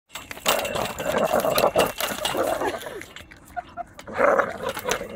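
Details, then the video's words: Domestic dog barking while attacking a swing, a run of rough harmonic barks and growly vocal bursts through the first three seconds, a short pause, then more barking near the end, with some background voices. "Dog Attacks Swing!"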